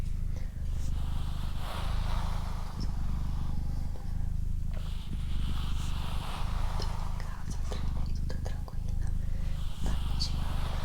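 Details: Steady rumbling purr of the female house cat Doroti, cycling with short breath breaks, accompanied by faint whispering and occasional rustling indoors.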